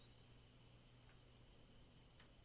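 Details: Crickets keep up a regular, high-pitched chirp every third of a second or so over a continuous trill, broken by two brief sharp clicks and accompanied by a faint low hum.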